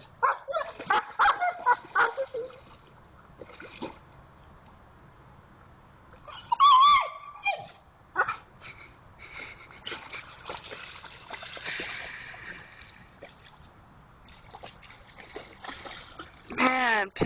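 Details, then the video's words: Pit Bull named Jayde in a creek, digging for a rock and making funny noises: bursts of high squeaky whines, a wavering cry midway and a long rising whine at the end, amid splashing and laughter. "Pitbull making funny noises in the creek"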